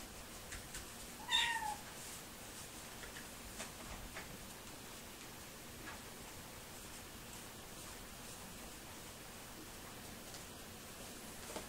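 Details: Blue male Sphynx kitten, a purebred from Montreal, Canada, born July 17, 2018, lets out a single brief, high, downward-sliding meow, then near silence with faint room noise and soft ticks.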